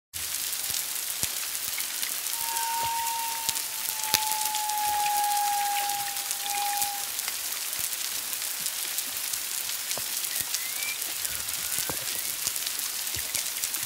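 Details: Humpback whales off Culebra, Puerto Rico, on February 25, 2022, one to two miles away, at least two animals: a long, steady mid-pitched whistled tone that slowly falls over about five seconds, over dense constant underwater crackling.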